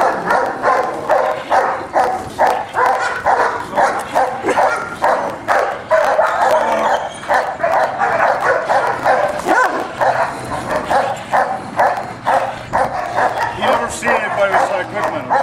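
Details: German Shepherd Scarface of Alpine K9, tested as a personal protection dog, gives a long run of forceful barks, roughly two per second in a fairly even rhythm, continuing without a break.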